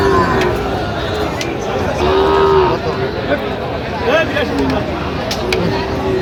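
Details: Sahiwal bull calves at a cattle market in Joypurhat, Bangladesh, during bargaining; a low, drawn-out moo rises above steady crowd chatter and speech, with one longer harmonic call near the middle and shorter ones around it.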